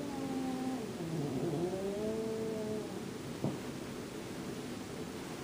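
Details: Jack, a cat intolerant of Boots in his favorite room, makes quieter, wavering overlapping yowls for about three seconds. A brief knock follows, with low background rumble throughout.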